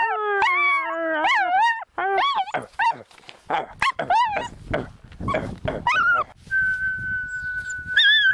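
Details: A small pet dog howls in response to a person whistling: wavering harmonic howls that rise and fall in pitch in several bursts, then a long steady whistled tone and a final short howl.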